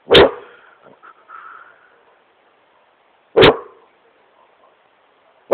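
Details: Great Pyrenees playing on his couch in his room, giving single loud deep barks spaced about three seconds apart, with quieter huffs and whines between them.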